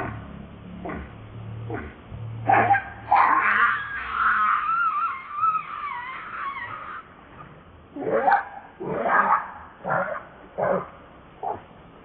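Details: Hungry baby monkey begging its mother for milk; short sharp calls, then a long, thin, wavering whine lasting several seconds, followed by more short chirpy cries.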